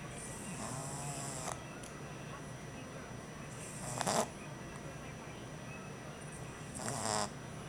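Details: Exhausted male French Bulldog puppy on his first night home, snoring with soft raspy breaths and louder wheezy, hissing bursts about every three seconds over a steady low indoor hum.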